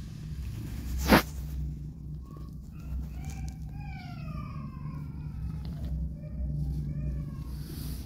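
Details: Disabled street cat named Hope, a mother who gave birth to three kittens in a strange place and now nurses her two rescued kittens. Several soft, rising-then-falling mews in quick succession, over a steady low hum, after one sharp knock.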